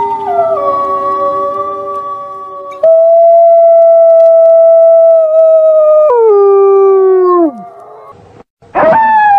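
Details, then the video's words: Night-time wolf howls: a sustained, even note that shifts higher, holds, then slides downward and fades. A short, sharp rising cry follows at the end. "Menyeramkan Suara Lolongan Srigala Malam"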